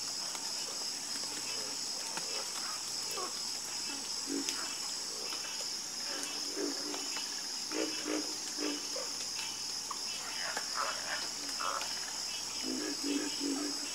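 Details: Harmonious croaking of many frogs: clusters of deep, pulsed croaks rise and fall irregularly, some calls overlapping, all set against an unbroken shrill insect buzz.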